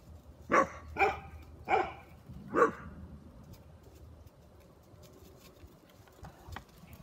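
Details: Three Great Pyrenees puppies barking: four sharp, loud barks spaced under a second apart in the first three seconds, followed by a quieter stretch with a few faint, brief sounds in the background.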